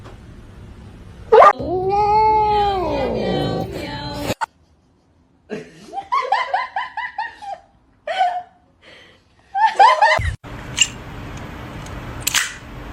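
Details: Domestic cat meowing in a funny-cat compilation: a long drawn-out meow that rises and then falls, followed by a series of shorter, choppy meows, with laughter and people talking between the calls.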